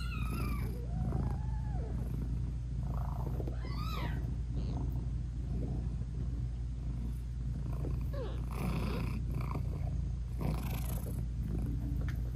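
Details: Sweet British Shorthair mom cat meowing and purring to her tiny kittens as she nurses them; a steady low purr carries several short high meows and chirps, some sliding up and down, with soft rustling bursts later.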